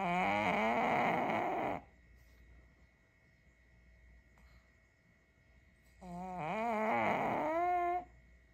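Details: Kongzi, a six-year-old female pug, sleeping soundly after a tiring day: two loud, nasal, trumpet-like snores with a wavering, harmonic tone. Each lasts nearly two seconds, and a quiet pause of about four seconds separates them.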